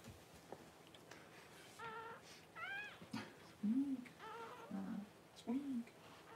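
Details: Squealing of a newborn Cavalier King Charles Spaniel puppy during mother Paris's whelping on January 1: short, rising-falling whines in quick succession, then lower, brief, bowed grunting cries near the end, indoors.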